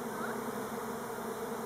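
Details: Elgon Buckfast honey bees on Timrarö near Stockholm hum steadily on what is hoped to be an orientation flight rather than a swarm, a continuous low buzz from many wings; Western honey bee.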